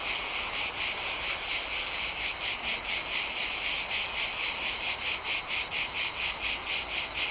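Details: Chorus of cicadas in Mediterranean summer, recorded in nature: continuous shrill rasping with rhythmic swells near two per second, slightly uneven beats as several insects overlap.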